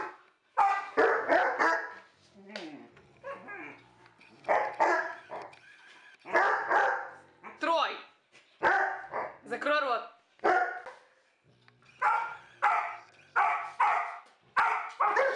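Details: Loud, rough barks from a dog come in clusters, mixed with a person's voice speaking between the bursts.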